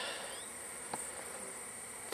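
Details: Bees from a wild hive being collected, the hive covered at both ends with wood plates; a dense, steady broadband hum of many insects fills the clip, with a constant high whine above and a couple of brief clicks.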